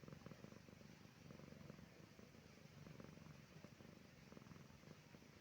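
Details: Silki, a pet cat resting on a peaceful evening, purring as a sign of comfort: a steady, low rumbling purr pulsing in even waves throughout, with no other clear sounds.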